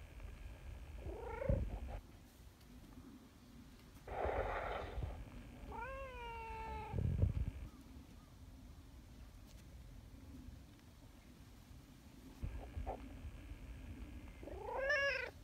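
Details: Nyahha, an affectionate brown tabby community cat called a king cat, arriving from the hillside and calling loudly: several drawn-out harmonic meows, one falling near the middle and one rising at the end, with low rustling and handling noise between them.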